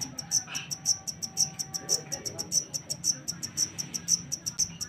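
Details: Black cricket (jangkrik hitam), taken from the wild, producing bright, clicking high chirps repeated roughly twice per second in an even rhythm, with a soft murmur underneath.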